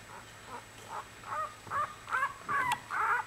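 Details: One-week-old Australian Bulldog puppies in a litter, giving short, soft squeaks that grow louder and more insistent, repeated about twice a second with a quiet background.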